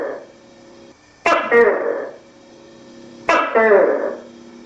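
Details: Two sharp, loud, nasal calls from a tokay gecko in the countryside, about two seconds apart, each with a sudden start and quick fade, over a steady low hum.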